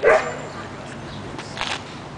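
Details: Porkchop the dog on his first visit to a dog park, June 6, 2009: a single sharp, loud bark at the very start, then a low outdoor hum with faint distant voices.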